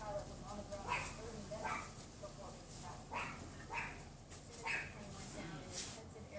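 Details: A neighbour's Pomeranian, unseen behind a wooden privacy fence, yaps in quick, sharp bursts every half second or so against rushing wind on a windy afternoon, 6 February 2015, about 3:18 PM.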